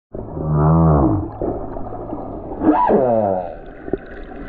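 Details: A lone male humpback whale on the Silver Bank in February 2023 sings long, moaning tones that sweep and waver, followed by a rising, rich cry.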